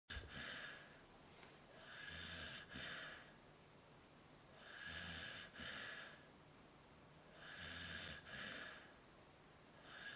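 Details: Samoyed dog eating his treats, giving soft snuffling, snorting breaths in bursts of about a second, repeated every two to three seconds, with quiet pauses between and no other clear sounds.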